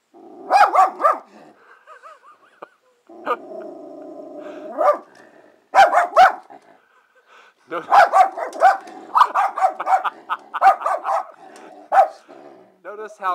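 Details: Wilma, a pet miniature schnauzer, barks frantically indoors at a bird that has landed just outside the window; sharp barks come in irregular bursts, with some whining between them and a man's voice commenting.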